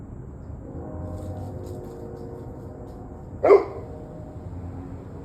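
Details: One loud, abrupt dog bark breaking a steady low hum, recorded at 7:06 pm on 21 November 2023.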